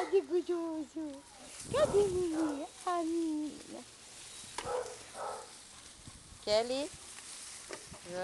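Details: Basset Hounds romping at a kennel, breed raised there for over twelve years: high, wavering whines and yelping cries, several sliding up and down, broken by short gaps, with scuffling and faint background noise.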